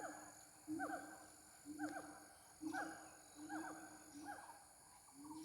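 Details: Gibbon, locally called ungka, calling during mating: harmonic whooping notes that sweep up and down, given in short bouts roughly once a second, over a steady high insect drone.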